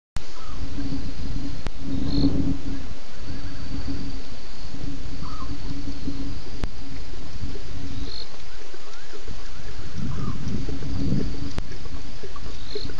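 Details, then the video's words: At least two lions roaring at Djuma waterhole at 01:30 a.m. on 11 November 2016, after a BB drank there. Two deep, broad low bursts about nine seconds apart rise over a steady electrical hum and background noise. "One BB at Djuma waterhole with at last 2 Lions roaring after his drink"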